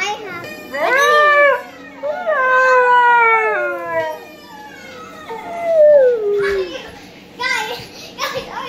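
A Siberian Husky howls in long, wavering tones that swoop up and slide down, answering its own recorded howls.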